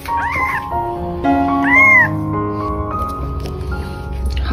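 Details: Hungry newborn domestic kitten that had crawled to the sink, about to be returned to its mother cat for feeding: two short, arched, high meows, each rising then falling, about a second and a half apart, over soft background music.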